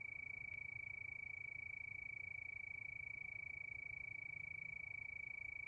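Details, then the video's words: A cricket trilling at night under the moon, a bright, pure high note pulsing very quickly and steadily without a break, with a faint low hum underneath. "Sound of Crickets"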